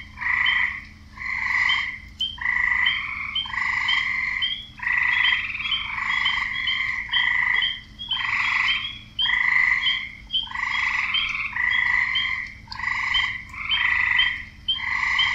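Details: Frogs croaking to find partners, males calling females: a continuous chorus of many rough, banded croaks roughly once a second, overlapping and uneven, with sharp higher clicks between bursts and a low hum underneath.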